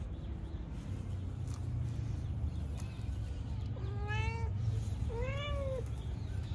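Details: Mother cat Mano meowing while looking for her third kitten as her kittens enjoy the sun; two clear arched meows with rich harmonics, the second higher and rising then falling, over a steady low rumbling background.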